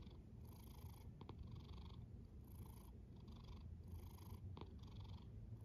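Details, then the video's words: Snoring cat with regular airy inhalations and exhalations, about three cycles in under six seconds, layered over a low constant rumble and a couple of brief soft clicks. "A snoring cat"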